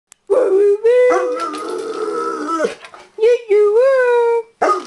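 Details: Bernese Mountain Dog at home, upset about the mail lady, howling in long harmonic wails that rise and bend, with two sustained tones broken by short pauses and a sharp yelp at the end.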